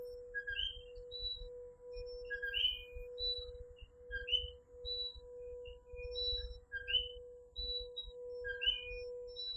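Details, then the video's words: Coquí tree frogs calling at night in Puerto Rico: overlapping two-note calls, a lower note leaping to a higher one, repeated by several frogs at uneven intervals over a steady mid-pitched hum and low rumbling background. "Coquí Serenade | Authentic Puerto Rico Night Sounds"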